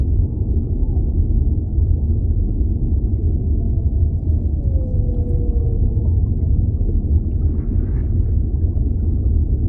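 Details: One whale moan in an underwater soundscape: a slow tone that curves down and then holds level for about two seconds, with a constant low rumbling water background and a brief soft crackle later.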